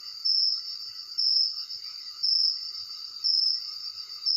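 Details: Crickets at night, recorded on a phone: a steady high trill with louder pulsed bursts roughly once a second, fading between bursts, over a continuous background chorus of other insects.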